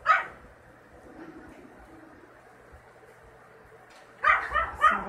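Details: Yorkshire Terrier puppies from a litter of two males and two females. A brief sharp yip opens the clip, then a long quiet stretch, then a burst of high, quick yaps and whimpers near the end.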